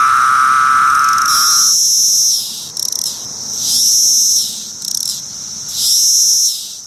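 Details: Periodical cicadas of Brood X, which emerge every 17 years, singing. A steady droning tone lasts about a second and a half, then high hissing buzzes swell and fade in waves roughly every two seconds.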